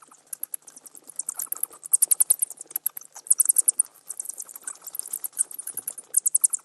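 Bats chatter in rapid, very high squeaks and clicks that tumble over one another in uneven bursts.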